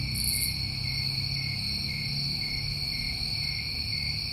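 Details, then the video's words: Continuous high trilling of crickets on a New England summer evening, unchanging in pitch and volume, opening with a short sizzling burst and underlaid by a low droning hum. "Over 1 Hour Of Tinnitus Masking With Crickets"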